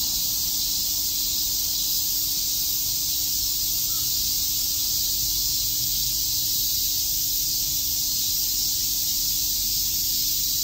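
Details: Cicadas chirping on a summer day in Shakujii Park, Tokyo: a dense, unbroken high-pitched buzzing drone that holds steady and loud for the whole stretch, with a faint low hum underneath.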